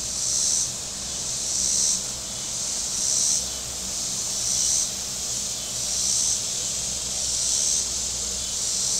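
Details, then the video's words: Cicadas along the shore of Table Rock Lake in southern Missouri on a very warm Saturday. A high, sizzling drone pulses louder about every 1.6 seconds, six swells, with a faint low humming in the background. "Boating Lake Sounds and Cicadas"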